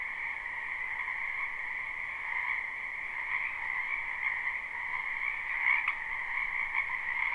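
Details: Many frogs calling at once in a spring wetland behind a home, a live unlooped recording: a continuous high trilling wash in two bands, with slight swells and a brief louder burst near the end.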